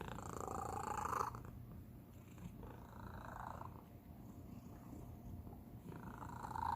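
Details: A domestic cat, the youngest of the household, purrs in a steady low rumbling vibration that swells and fades with each breath, described as an unusual, special purr.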